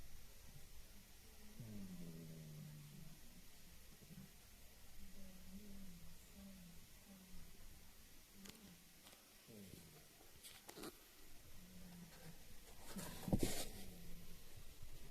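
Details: Gigi, a female pet cat at home, snoring like an old man: low, droning breaths with faint harmonics recur every couple of seconds in a quiet room, with a few soft clicks and knocks near the end.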